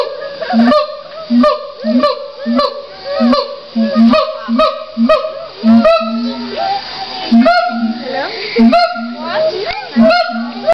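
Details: Captive siamangs at a zoo in Los Angeles give a rhythmic, pulsing chorus: deep booming notes repeat about every two-thirds of a second, each paired with a bright whooping bark. The series speeds up into overlapping, excited shrieks near the middle.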